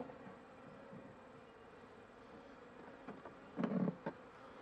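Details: Honey bee colony humming softly in a weak late-winter hive as a beekeeper works the frames; low steady drone with a burst of louder clattering and knocks toward the end.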